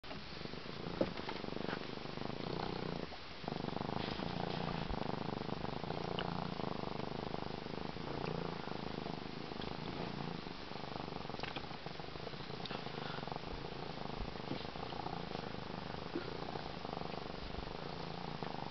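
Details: A 13-week-old African serval purrs continuously on a boat's captain chair after swimming in Lake Erie, a low, even rumble pulsing with each breath, with faint background noise underneath.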